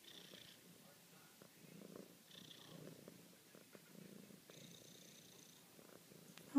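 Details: Female house cat purring contentedly while loving her owner, gentle rhythmic rumbling in breath-paced pulses, soft and close, ending with a short sharp noise.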